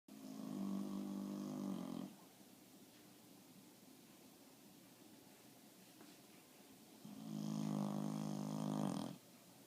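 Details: Bulldog snoring: two long, buzzy, rasping snores about two seconds each, separated by a quiet pause of around five seconds, in a quiet indoor setting.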